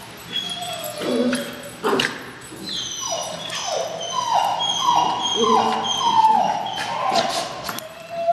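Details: Two dogs at play, a 7-month-old Jack Russell named Tirna and Scarlet the Puggle, at City Bark in Parker: a quick series of high, falling whine-yips, roughly one every half second, with soft rustling between.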